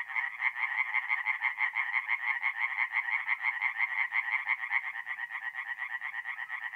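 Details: Mid-April night at a north-east Italian forest pond with singing tree frogs: one frog gives a fast, even string of sharp rasping notes, about three per second, while other frogs rattle softly behind it.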